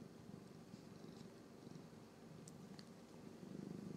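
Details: Purring from Norwegian Forest Cat siblings as they groom one another, a continuous low, rapidly pulsing rumble that swells slightly toward the end, with soft licking ticks above.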